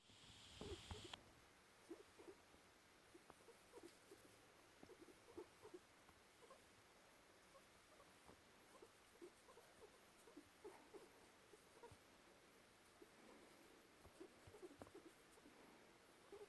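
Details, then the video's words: A male American Crested guinea pig, about two and a half years old, filmed in November 2017, gives soft, low, short squeaks and chutters in quick, uneven runs, a sign of contentment. "Goomba the guinea pig making happy noises"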